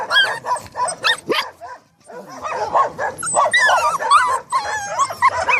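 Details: Excited Staffordshire Terrier dogs producing high sliding whines and yips, a short quiet gap, then a busy stretch of overlapping whining yelps and squeaks.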